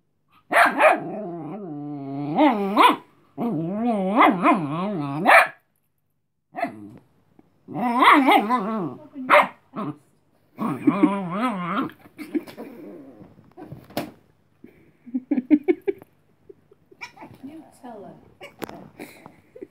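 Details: Tired Chihuahua puppy Cleo, a female, scolds playful dog Robin to go away, giving long runs of warbling, yelping growl-barks in bursts separated by short pauses, fading into scattered quieter grumbles toward the end.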